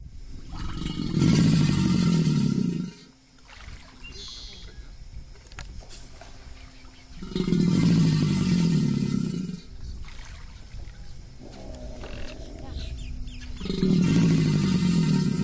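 An American alligator gives deep, rumbling bellows, each lasting about two seconds, with pauses between.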